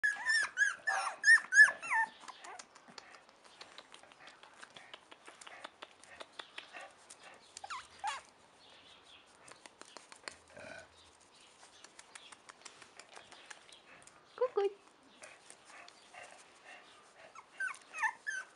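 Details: Four-week-old Chow Chow puppies give short, high squealing whimpers in a burst at the start, then mostly soft clicking and shuffling noises, with a few more thin squeaks near the end.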